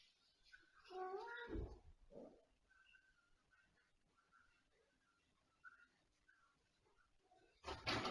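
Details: Domestic cat indoors in a living room giving one drawn-out, wavering meow near the start, then a shorter soft mew; after that only quiet room noise with faint scattered sounds, ending in a sudden loud clatter.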